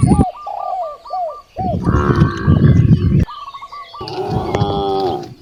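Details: Hungry cows in a village beside rice fields: a loud drawn-out moo at the end follows rapid repeated chirping calls from birds or fowl and rough noisy background sounds.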